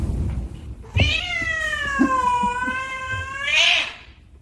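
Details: Cat giving one long drawn-out meow lasting over two seconds, starting higher, sagging gradually in pitch and then swelling into a louder, rougher ending; a brief thump and faint background noise come just before.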